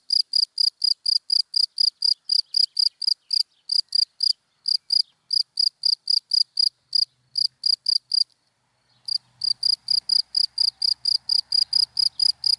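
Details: Daytime cricket calling from dry grass: regular high chirps about two per second, a brief pause near the middle, then chirping resumes over a faint low rumble of passing traffic.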